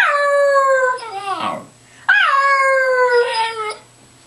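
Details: A Cairn Terrier "sings" on command, giving two drawn-out, tuneful howls that slide downward and trail off.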